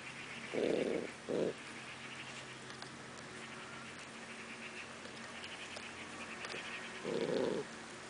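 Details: Eleven-week-old Cardigan Welsh Corgi puppy in a backyard on a late May evening in 2015, growling at its mother over a snail: two short rough growls close together, then a longer one after a pause, over steady background hum.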